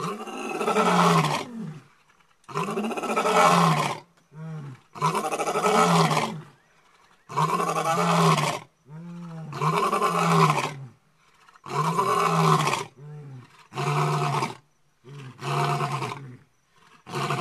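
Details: Two lions calling out at night with roars said to carry up to 10 miles to other lions: a series of long, deep, groaning roars, each about a second and a half, then shorter grunting ones closing the sequence.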